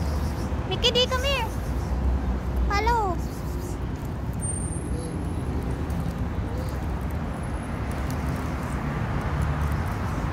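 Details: Street cats filmed in November 2023: two short, arching meows close together near the start, each rising then falling, over steady traffic rumble and outdoor urban noise, then only background hum.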